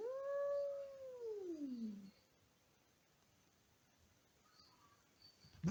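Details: Domestic cat indoors, calling to rouse his sleeping brother: a single long, mournful meow that slides steadily downward over about two seconds, followed by near silence and a faint thump at the end.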